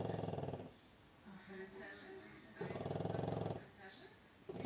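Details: Sleeping French Bulldog indoors; two loud, buzzing, rattly snores about a second long each, with a quieter breathing pause between them.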